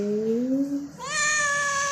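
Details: Farm cat calling on a rainy day with two linked meows, a low rising whine followed by a higher, loud, sustained harmonic cry that holds steady for about a second.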